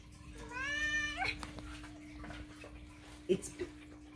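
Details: Indoor domestic cat demanding food gives one clear rising-and-falling meow near the start, followed by quieter room noise, a person talking, and a couple of sharp knocks.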